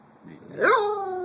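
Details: A cockapoo, a Cocker Spaniel and Poodle cross, that likes to sing: one howl that swoops sharply upward, then slides slowly down into a long, sustained, falling note, starting from quiet breathy sounds.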